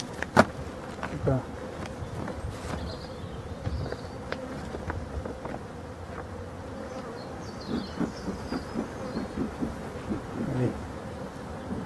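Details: Wintering honey bees in Brittany, France, checked during a final feeding on 4 February 2021; an even, humming buzz holds steady under scattered sharp clicks and rustles of hive handling, with faint distant bird notes.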